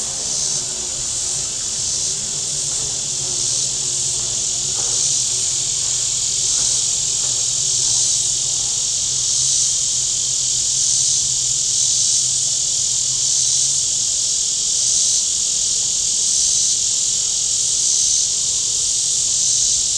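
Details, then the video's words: Loud, continuous, buzzy cicada chorus on the shore of Table Rock Lake in southern Missouri on a hot Saturday, a piercing even wall of sound, with a low boat engine drone that fades out near the end. "Boating Lake Sounds and Cicadas"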